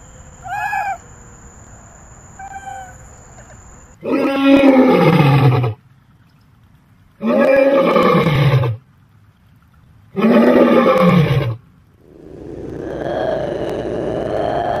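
Three powerful, gravelly roars from a big cat come at steady intervals, each starting strong and sliding lower as it fades. Two brief, thin calls come just before them, and a rushing, noisy sound follows at the end.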